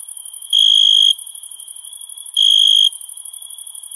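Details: Summer crickets at night give two clear, high, sustained chirps, each about half a second long and nearly two seconds apart, against a constant thin, hissing high drone.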